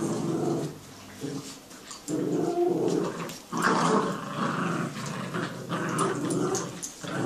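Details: Growling from a Jack Russell and a Yorkie locked in a tug-of-war game inside; continuous low, gritty snarls that swell and fade over several seconds, with faint rustling of the toy and paws.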